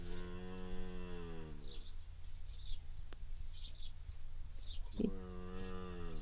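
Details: Cattle beside a cow and her calf, said to be only ten days old, at a homestead in De Smet, South Dakota; two long, low, steady moos open and close the recording, with chirping birds and a low hum between.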